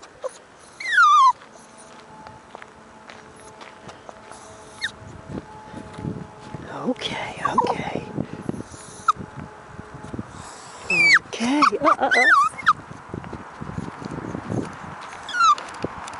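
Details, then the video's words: Female toy poodle puppy about six months old on a walk, whining in short falling cries at the start and later in a cluster, mixed with a woman's soothing speech and background hum. "Adorable Toy Poodle puppy sings on her walk."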